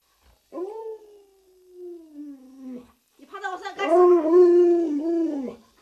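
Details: Luoluo, a pet Alaskan Malamute kept at home, gives a long smooth howl that slides slowly downward, breaks off, then returns as a louder wavering, talk-like howl with rich harmonics rising and falling.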